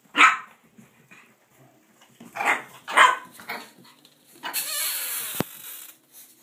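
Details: Blue Boston Terrier puppies almost 6 weeks old, playing indoors after a bath, let out brief high yips and barks in irregular bursts, followed near the end by a loud rustle or shaking sound.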